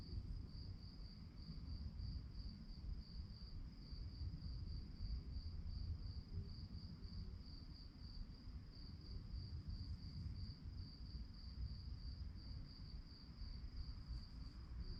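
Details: Crickets chirping at night, a steady high-pitched trill pulsing rapidly and evenly without pause throughout, over a constant low rumbling background hum.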